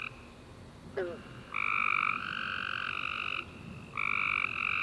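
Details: After a warm rainy summer day, tree frogs sing at night in long, steady, buzzy trills of one to two seconds, overlapping in a continuous chorus with a brief pause before another caller starts.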